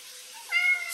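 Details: Talkative cat chatting back and forth with its owner indoors; a single clear, tonal meow that rises and then holds steady for about half a second, following a quiet stretch.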